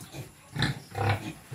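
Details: Quezon black pig, a native pig breed, feeding: two short, low nasal grunts about half a second apart, with a faint voice around them.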